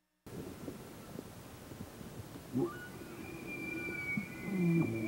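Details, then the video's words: Bull elk in mating season giving a bugle: a thin, high whistle rises and is held steady for about two seconds, with low grunting underneath near the end, over a rough, noisy background. "Bugles, Barks, Grunts and More"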